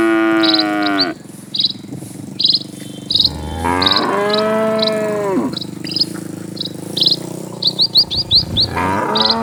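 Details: Dozens of cattle walking along a peaceful country road, giving long, bending moos with rich harmonics, one stretching nearly three seconds, amid steady pulsed chirping of birds or insects.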